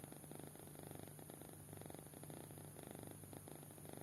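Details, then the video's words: Short stretch of a fast-asleep kitten snoring: low, fluttering rasps in quick even pulses, paced by its breathing, against a constant faint hum. "Anak Kucing Tidur Pulas Sampai Ngorok"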